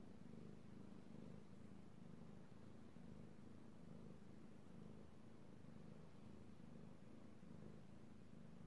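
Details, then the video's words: Purring of Io the kitty cat, a male who loves to be petted, recorded 3/16/18; deep, even throbbing purr held without a break, its low pulses rising and falling gently in a quiet setting. "Petting Io the Kitty Cat / ASMR Cat Purring"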